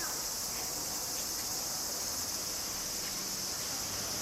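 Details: Summer cicada chorus in suburban Tokyo, Japan, in August 2011: a steady, hissing high-pitched drone with no pauses, over faint low background rumble.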